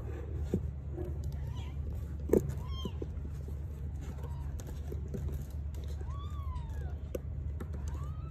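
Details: Mother Sphynx cat giving birth to three kittens: several short mewing calls that rise and fall, with thin high squeaks, over a steady low hum and occasional clicks.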